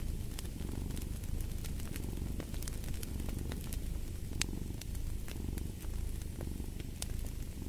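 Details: Deep rhythmic purring from a cat, a soft buzzing rumble rising and falling in regular waves under bright, irregular crackles of burning wood in a fireplace.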